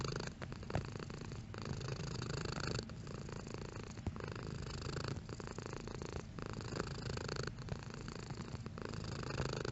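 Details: Domestic cat purring, its intensity varying: a deep, even rumble interrupted by short breath breaks roughly every second, a regular in-and-out rhythm throughout, with no other sound present.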